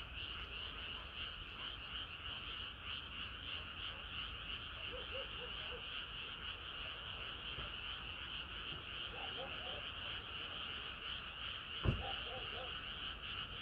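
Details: Chorus of frogs on a sweltering summer night, constant overlapping croaks forming a steady high drone, a few lower bubbling notes in between, and one sharp knock near the end.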